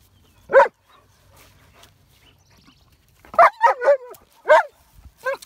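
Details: Jessie, a dog, barking at a horse: a single sharp bark, then after a pause a quick burst of three yips and another bark, fairly high-pitched and tonal, with quiet background in between.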